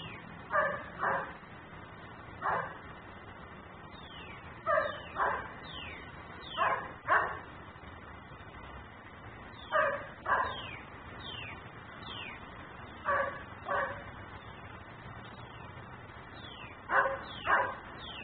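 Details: Dog left outdoors barking repeatedly, captured by a looping security camera: paired sharp barks at irregular intervals, roughly every one to two seconds, with faint high descending chirps between them and steady background hiss.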